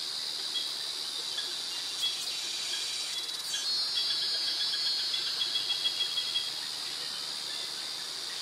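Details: Cicadas and crickets in tropical jungle near mangroves in Krabi, Thailand; a continuous high-pitched shrill band with a steady pulsing layer, swelling slightly midway, then a rapid series of short ticking pulses.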